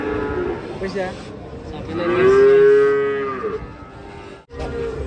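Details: Cow coming down off a truck gives one long, loud moo that swells and rises slightly in pitch before fading, with softer lowing and murmured voices around it.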